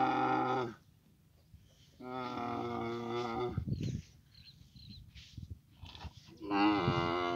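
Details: Camel in Abu Dhabi during mating season giving three loud, drawn-out harmonic moans, each about a second long with gaps between, the last one wavering; quieter rustling and low noise in between.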